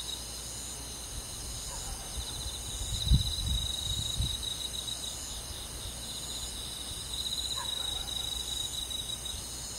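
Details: Crickets and other insects on a summer night in the countryside, a steady high shimmering chorus with faint pulsed trills, a few low thumps and rumbles near the middle.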